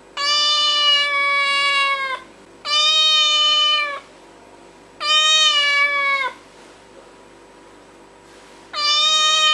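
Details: Domestic cat meowing: three long, steady, harmonic-rich meows of about 1.5 seconds each, separated by short pauses, with a fourth beginning at the end; quiet room, no other sounds.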